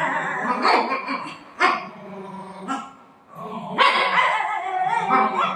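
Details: Buzo, a pet dog play-fighting while sitting on its mummy's lap, gives sharp yipping barks in short bursts, one near the start and a louder run toward the end, with whiny high tones between them, over background music.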